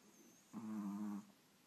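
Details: French Bulldog and Brussels Griffon, rescued dogs, trading snores: a single loud, droning nasal snore of about two thirds of a second, steady and buzzy, with quiet breathing around it.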